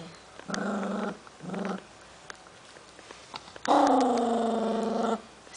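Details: Eleven-week-old Cavalier puppy Milton defends his snack: two short, low growls, a pause, then a longer, louder growl that rises slightly before cutting off.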